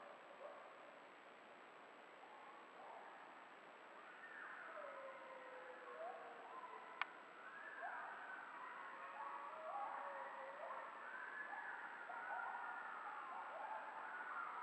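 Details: A coyote pack howls and yips in wavering, overlapping glides down in a valley, heard by a lone coyote, with a steady, faint, high hiss behind them.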